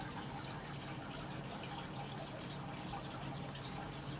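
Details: Steady low room noise with a faint hum and soft hiss while pet cockatiels are being handled indoors; no clear bird calls stand out.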